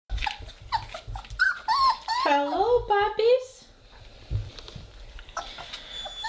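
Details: Rada's Weimaraner puppies in their kennel on the first day of potty training with a pellet litter box. High whines rise and fall in short, wavering arcs over about two seconds, and a person talks over them indoors.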